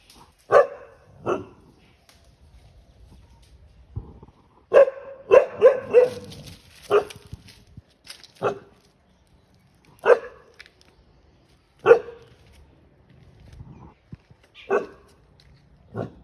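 A dog barks sharply and repeatedly, driving off an intruding monkey.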